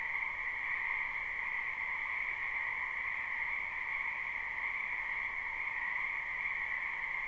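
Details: Many frogs in a spring wetland behind a house, recorded live without looping: a dense, steady chorus of trilling croaks merging into two even bands, one mid-pitched and one higher, with no individual calls standing out.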